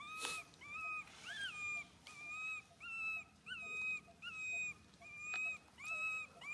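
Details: Poor baby monkey Suca, hurting after being grabbed by Susan, wails in a steady run of drawn-out tonal cries, roughly one every second, with one higher arched cry near the start.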